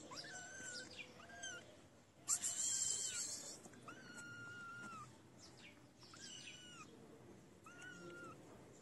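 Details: Feral kittens coming out for food, giving several high, drawn-out tonal mews with a steady pitch, some slightly bent, spaced about a second apart, interrupted by a brief loud rustling burst.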